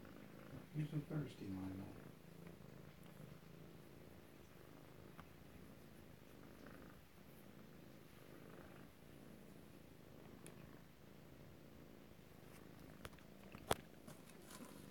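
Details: Alabama kittens close-up, 7 February 2018, with a soft low purr running the whole way through; a brief burst of human voice near the start and a few faint clicks later.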